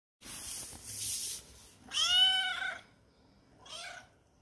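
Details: A lonely kitten searching for friends inside a home meows twice: a noisy opening, then a clear arched harmonic mew near two seconds and a shorter, fainter cry at the end, with no other sounds.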